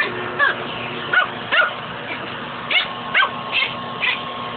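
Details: House dog fighting the hose of a shop vacuum, yipping in short sharp barks with brief gaps, some coming in quick pairs, over a steady low hum.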